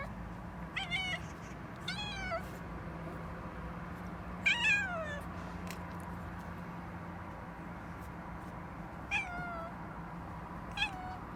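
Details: Pet cat making clumsy chattering sounds before an unexpected yawn: six short, downward-sliding mew-like chirps scattered across eleven seconds, some in quick pairs, with a constant low hum in the background.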